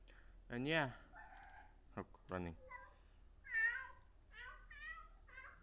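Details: Cat making weird sounds: a series of strained, wavering meow-like calls, some short and some drawn out with a rising-falling shape, spaced irregularly over several seconds in a quiet setting.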